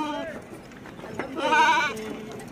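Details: Sheep, one of six at Malik Imran Goat Farm in Dera Ghazi Khan, being checked before loading onto a vehicle; a short wavering bleat rises over close male speech about midway through.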